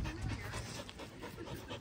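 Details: Samoyed dog panting: a steady, breathy, rough rush of air running through the whole stretch, with no clear voiced calls.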